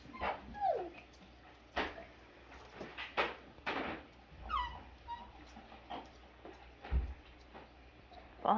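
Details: Five-week-old Double Doodle puppies whimpering and yipping: thin, high whines that slide downward, scattered short yelps spaced a second or so apart, with soft human voices murmuring in the background.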